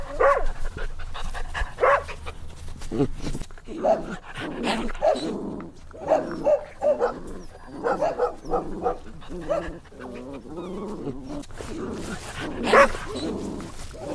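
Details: Puppies having fun outside make a busy mix of little yaps, squeals and whimpers, overlapping one another, with one louder yelp near the end.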